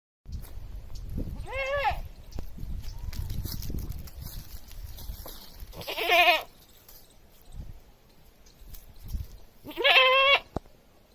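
A goat gives three loud, quavering, scream-like bleats, spaced a few seconds apart.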